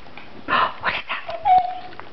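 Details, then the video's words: Pet dog reacting while watching and hearing a recording of another dog crying: short broadband yelps, then a thin steady whine near the end, with faint human murmuring before. "a crying dog!"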